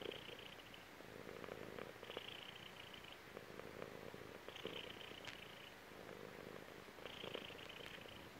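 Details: Contented purr of a chubby female cat lying on her owner's belly; deep vibrating rumble in alternating inhale and exhale phases about every two to three seconds, each with a faint airy hiss.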